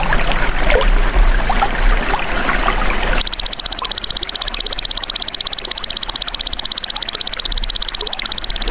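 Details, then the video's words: Golden grasshopper, offered as a natural tutor sound for songbirds. A dense, rapidly pulsed high trill starts after about three seconds and runs steadily to the end, following a stretch of hissing, trickling background noise. "MASTERAN BELALANG EMAS TERBAIK 2026 | SUARA ASLI PANCING BURUNG CEPAT GACOR, FOKUS & RAJIN BUNYI"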